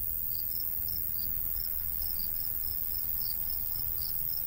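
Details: Crickets in a summer countryside by a golden wheat field: soft, rapid high chirps pulsing steadily in overlapping trains, under a constant low rumble of light breeze.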